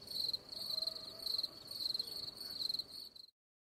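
A cricket chirps in rapid, high, pure-toned pulse trains that stop abruptly after about three seconds.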